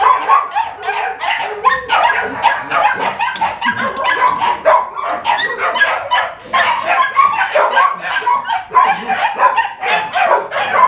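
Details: Dog yipping and whimpering almost without pause: high, overlapping, squeaky barks packed closely together for eleven seconds, with loudness rising and falling in quick pulses.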